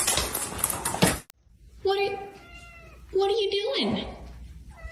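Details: A pet cat meows twice after a loud burst of clatter: a steady, level first meow, then a second that rises and dips at its end, in a quiet indoor space.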